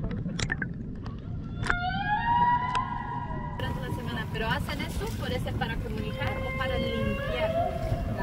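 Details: Humpback whale from the Banco de la Plata sanctuary, 120 km northeast of Puerto Plata, Dominican Republic, on a 2024 expedition: tonal moaning units rich in harmonics, some rising and some falling, with sharp clicks over a steady low underwater rumble.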